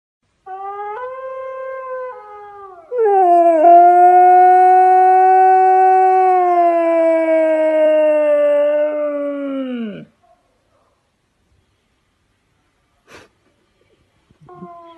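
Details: Siberian husky howling: a steady, drawn-out tonal howl that starts with short lower notes, then holds one long sustained pitch for about seven seconds before sliding sharply downward and cutting off, followed by near silence and faint brief sounds.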